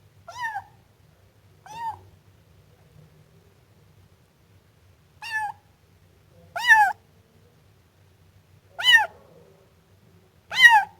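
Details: Siamese kitten meowing: six clear, high-pitched mews with stacked harmonics, spaced one to two seconds apart, the later ones louder and sharper, over a quiet background.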